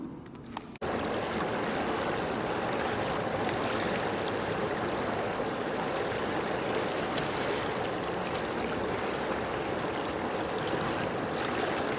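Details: A steady rush of flowing water, like a stream, fills the recording after a short click at the start, and no animal can be heard.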